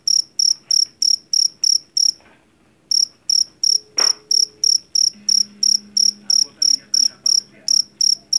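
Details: Shrill, evenly spaced chirps from a Javan field cricket (jangkrik jeliteng) caught in a rice field, broken by a short silence after two seconds, with a sharp knock and a low droning tone in the background.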